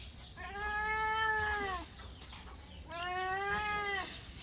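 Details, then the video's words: Eating kittens give two long, level meows about two and a half seconds apart, each clear and harmonic, falling slightly at the close, against quiet background noise. "Sweet Kittens Meowing cat's eating"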